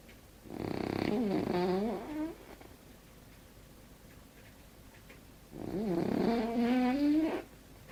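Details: French bulldog Winston snores twice. Each drawn-out, nasal breath wavers in pitch, giving a warbling, bubbly rasp, and a long quiet pause separates the two.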